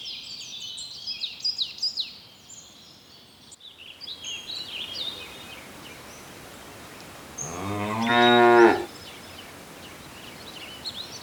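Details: Cow on a lush green meadow in the countryside, searching for food: a single loud, drawn-out harmonic moo of about a second late in the clip, preceded by twittering songbirds and faint background hiss.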